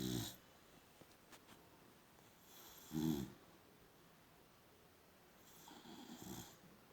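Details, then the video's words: Sleeping female boxer snores in short harsh bursts, one at the start and a louder one near three seconds, then a softer, longer breathy snore toward the end; quiet indoor background. "Funny sleeping boxer dog! Gorgeous snoring!"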